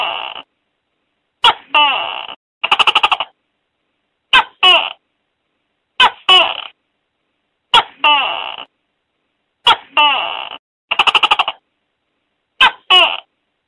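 A gecko gives sharp clicks and short chirps in paired bursts about every one and a half seconds, some as fast rattling click trains, against silence.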